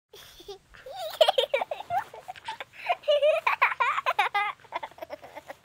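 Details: Bengal cat. A Bengal cat chatters in rapid, bubbling chirps and short trills, each wavering up and down in pitch. The calls come in quick bursts, sounding almost like soft giggling in a quiet room.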